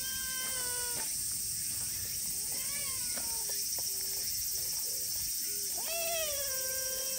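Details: An affectionate silver tabby community cat outdoors meows repeatedly: several long, level or gently falling harmonic meows with shorter chirps between, over a steady hiss of outdoor noise.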